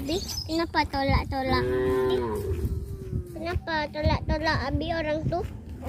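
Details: Tame cows strolling in a village give loud, repeated moos: a long drawn-out call that slides downward, then several shorter lowing calls in quick succession.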